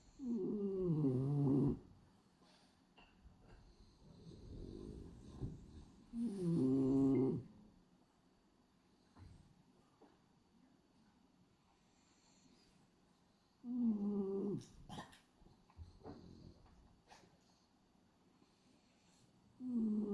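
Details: Snoring French Bulldog Hachi, a pied black-and-white male, sleeps with his tongue fluttering; four nasal, harmonic snores of about two seconds recur every six to seven seconds, separated by near silence.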